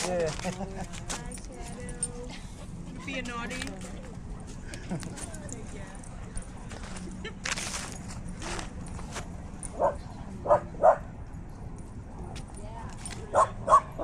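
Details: Dog at a dog park in the evening after sundown, with several dogs around; people chat over the first seconds, then a few sharp, short barks sound in a loose cluster near the end, with footsteps and outdoor background.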